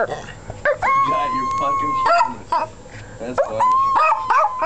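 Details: Pet dogs howling: a steady, held tone lasting about a second, then rising again near the end, with human voices talking over and between the howls.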